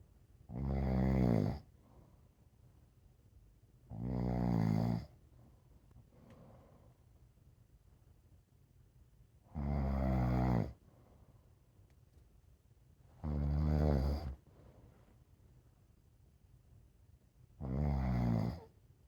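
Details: Sleeping rescue pit bull mix dog indoors, snoring in five deep, rumbling, harmonic bursts roughly every four seconds, each lasting about a second and a half, with quiet breathing between.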